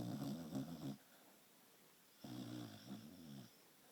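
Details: Penny the dachshund asleep and snoring indoors: two low, rumbling, rattly snore breaths, each about a second long, separated by a quiet pause of just over a second.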